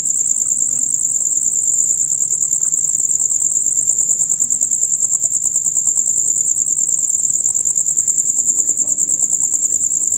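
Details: Loud, rapid chirping from male crickets forms a steady, shrill, finely pulsed trill at a single high pitch throughout, over faint low background murmur.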